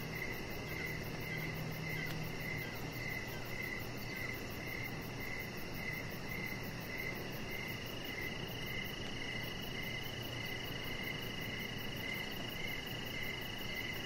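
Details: High, bright cricket chirps repeat about 100 times a minute on an evening deck outside, steady and unbroken, layered over a constant hissing and humming background.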